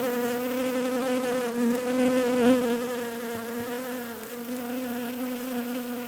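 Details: Bees giving a constant buzzing drone, low and humming with layered overtones, swelling briefly louder midway before settling back to an even hum.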